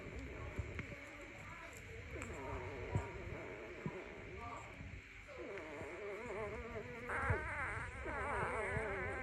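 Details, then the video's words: Morning whining from a puppy: soft trembling whimpers at first, then louder, fast-vibrato cries building toward the end, with low thumps and rustling underneath. "Dog whiningsound effect . Puppy dog crying at morning"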